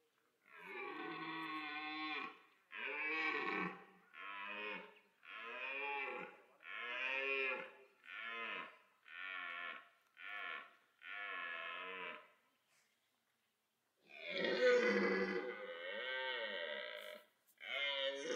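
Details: Red deer stag in autumn rut at a French wildlife park, where the loudest caller wins females: a series of about ten hoarse, harmonic roars in quick succession, then a pause and three more powerful bellows.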